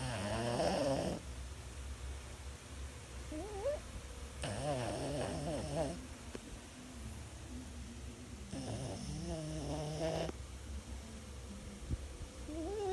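A Boston Terrier snores with rough, low rattles on each breath, broken by wavering nasal whines that rise and fall. The snorts come in uneven bursts a few seconds apart over a steady low hum.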